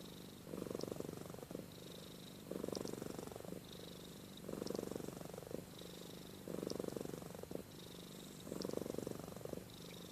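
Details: Amy the cat purring in her sleep, snoring as she breathes; a low vibrating rumble pulses in strong roughly one-second bursts every two seconds, with softer purring and faint high clicks in between.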